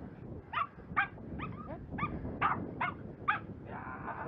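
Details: Jack Russell Terrier during scent tracking training: a run of seven or eight short, high whining yelps, roughly two per second, over steady low background rumble.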